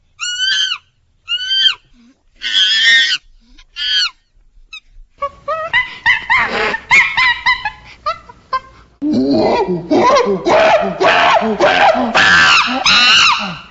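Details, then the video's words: Monkeys squeal: a few separate high, bending shrieks, then a busy clamour of overlapping harsh screams and chattering cries that keeps building to the end. "CRI du SINGE Bruit du Singe MONKEY sounds Verso della scimmia Monkey sound"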